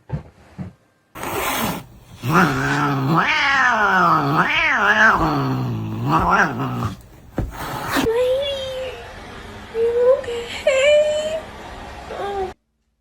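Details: Domestic cat yowling in a long, wavering caterwaul that rises and falls for several seconds, followed by a few shorter, thinner and higher cries over faint background noise.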